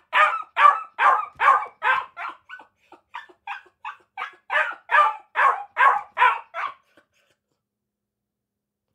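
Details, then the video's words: Akita puppies barking: a rapid run of about seventeen sharp, high yapping barks over seven seconds, a few softer and shorter in the middle, then a silent pause before one last bark at the end. "Akita Puppies Barking 🐕 Akita Puppy Sounds 🐶 Puppy Bark"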